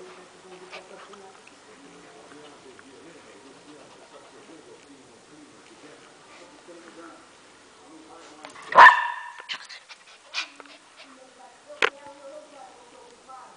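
A Lhasa Apso gives one loud, sharp bark, then a couple of shorter yaps, with quiet voices behind.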